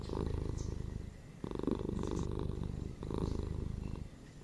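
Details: Close, rumbling purr from pet cats, pulsing in breath-length bursts about every one and a half seconds, the low rattle dipping briefly between each inhale and exhale.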